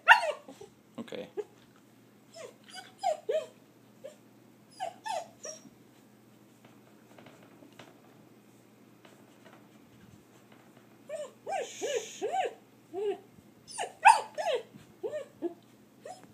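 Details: Curious German Shepherd puppy indoors, visiting pet rabbits for the first time: short, high yelping barks and whimpers come in bursts of two to four, separated by quiet pauses, with a faint hiss midway.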